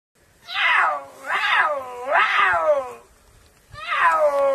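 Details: A puma meows four times in quick succession. Each call is loud and harmonic and slides down in pitch, with the middle calls rising then falling, and a brief pause before the last one.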